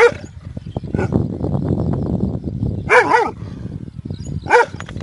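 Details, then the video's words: Loud barking from a big dog, with one bark at the start and then two more near the end, some doubled, over a busy low rumble. "Big Dog Barking Loud"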